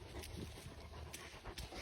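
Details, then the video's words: Puppies at play panting hard, a rough, breathy rhythm of quick huffs running through the whole stretch, with a few sharp scuffing clicks over it. "Puppies playing"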